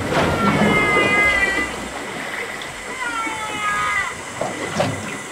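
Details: Humpback whale song recorded by hydrophone off Puerto López, Ecuador, on the Pacific coast: long, baby-like tonal units rich in overtones, some held level, others sliding downward, over underwater hiss, possibly a love song.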